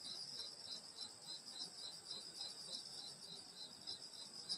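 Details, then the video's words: Grass insects singing on a summer night in the countryside at a grandmother's house: a steady high shimmering drone with rapid pulsed chirps, layered bands overlapping continuously, faint low rustle beneath. "여름소리 풀벌레소리 시골밤소리"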